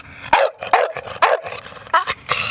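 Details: Male American Bully of exotic blue tri coloring, a registered stud dog from Portland, giving short barks in quick bursts, with a person speaking briefly.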